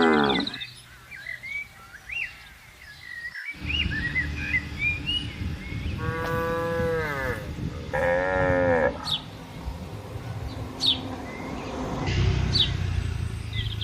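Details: ['Free-grazing tame cattle in an extensive green garden: two moderate, rising-then-falling moos in the middle of the recording, over steady background noise with frequent bird chirps and twitters.']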